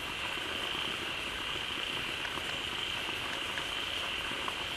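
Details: A crowd of frogs gathered in a pond, calling loudly as a waterfall begins to pour fresh water in; dense overlapping croaks and short pulses form a constant wall of sound under a steady high shrill band.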